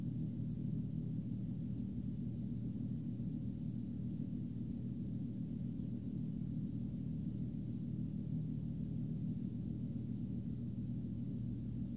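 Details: A steady low droning hum with no animal calls.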